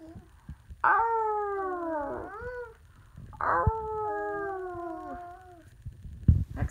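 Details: Two Samoyed sisters howling together indoors: two long, sliding howls, each starting loud and high, then gliding downward over about one and a half seconds, with a bent wavering tail; a brief knock near the end.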